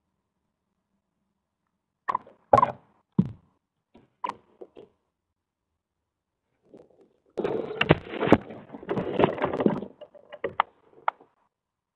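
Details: Only sharp wooden knocks and bumps, then a few seconds of scraping and rustling, with no animal calls.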